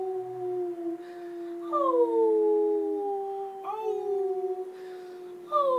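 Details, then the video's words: Pomeranian being trained by its owner to howl, indoors, first attempt; a long steady low howl joined by a second voice sliding downward, then renewed rising howls after a short break. "Howling Pomeranian"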